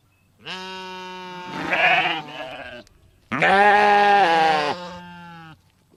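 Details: Sheep in a meadow while eating grass, giving two loud, wavering, nasal bleats, the first shorter and breaking up, the second long and sustained, with quiet pauses between.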